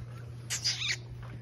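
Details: Young French Bulldog puppy playing outside in a sunny kennel yard on December 1, giving one high, thin squeal lasting about half a second. A steady low hum runs underneath, and a person calls the puppies nearby.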